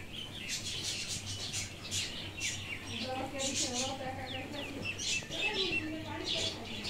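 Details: Kittens mewing: a few short, wavering mews from about the third second on, then a longer, falling mew near the fifth second. Repeated crackling hiss and a steady low hum sit beneath them.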